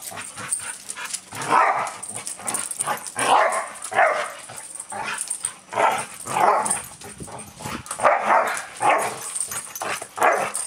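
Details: Dog meeting another dog, barking in short yappy bursts roughly every one to two seconds, with mid-pitched, slightly whining barks and brief pauses between them.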